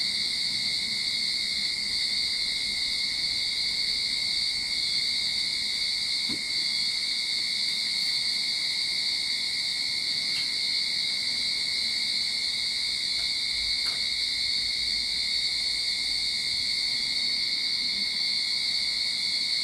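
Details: Steady cicada chorus recorded in a Sydney backyard as summer begins: a continuous high, buzzing whine that never breaks, with a few faint ticks and clicks in the background.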